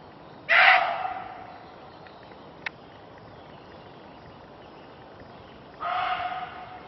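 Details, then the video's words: A Reeves's muntjac in a forest in southern England barks at people about 10 metres away, giving two loud, harsh barks about five seconds apart. "Muntjac deer bark"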